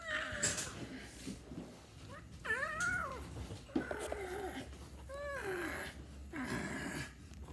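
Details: Domestic cat giving a series of short arching meows, about five in seven seconds, each rising then falling in pitch, with faint background voices and indoor noise.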